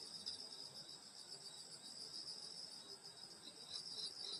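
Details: Brief burst of a summer-night insect chorus in the countryside beside a grandmother's house, a bright, high, dense trill with fine rapid pulsing, steady and uninterrupted.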